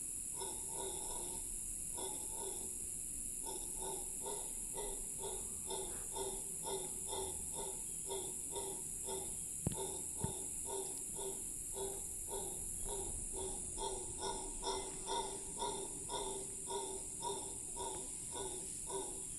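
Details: A howler monkey in Cahuita Park, Costa Rica, gives a long howl: a series of deep, grunting roars, about two each second, over steady insect hum.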